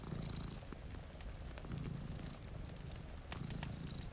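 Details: Deep, rhythmic purring from two cats dozing in front of a rainy window, a continuous soft rumble with brief stronger pulses, accompanied by popping crackles from a fireplace and light rain noise.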